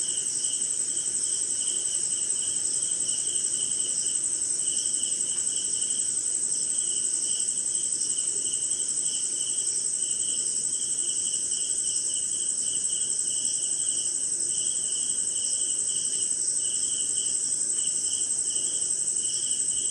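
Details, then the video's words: Crickets on a rainy night somewhere in India: a steady high shrill trill runs throughout, over a lower pulsed chirping repeated about twice a second, with soft broadband hiss beneath. "Cricket & Swamp! Forest Sound"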